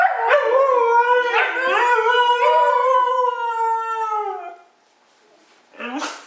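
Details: Siberian husky giving a sustained wavering howl, pitch dipping and rising in several pulses over four seconds, fading out before a brief higher yelp at the end.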